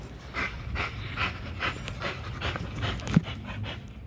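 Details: During a spring pole workout at Caona Bullys, an XL American Bully pants in steady breathy puffs about twice a second over a low, rumbling background, with one brief knock partway through.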